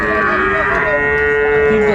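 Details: Sahiwal cattle, bull calves at a cattle market in Dhaka, Bangladesh, on 29 December 2024: a long steady drawn-out moo holding one low pitch with rich overtones, heard over busy market background.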